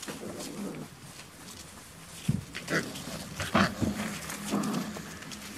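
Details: Five-week-old Beauceron puppies at a breeding kennel, recorded 22 November 2018. Short, scattered whining yelps rise out of a low background rumble, with a few stronger cries near the middle and a person speaking briefly.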